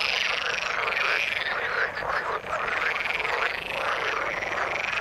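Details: Many frogs calling together in water, a thick unbroken mass of croaks and trills with a brief dip in loudness midway through.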